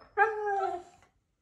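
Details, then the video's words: Husky giving a short howl, confused by a mimicking cactus toy indoors: a single smooth tone holding steady then sliding slightly downward for under a second, with a quiet room behind. "Huskies are confused by mimicking cactus toy"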